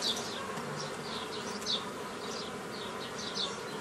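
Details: Honey bee colony buzzing as a beekeeper splits a previously formed swarm into nucleus colonies, 15 May 2018; a constant low hum beneath repeated bright bird chirps about every second and a half.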